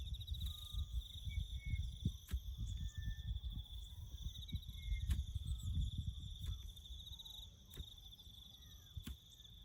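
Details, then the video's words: Chirping crickets heard in the bush as an even high trill throughout, alongside brief faint whistled notes, low rumbling work sounds and intermittent sharp knocks. "crickets chirping"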